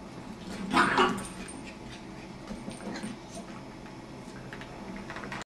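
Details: Jack Russell terrier puppy at play with a beagle, giving an odd whining yelp early on, a brief harmonic cry followed by softer grumbling sounds and quiet room noise.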